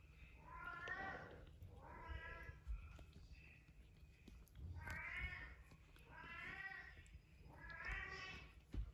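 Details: Tiny Devon Rex kittens at play give a run of thin, high meows, each rising and falling, about every one and a half seconds.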